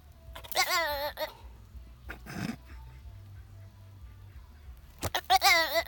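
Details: A black goat slowly approaching the camera gives two wavering, quavering bleats with a brief breathy snort between them.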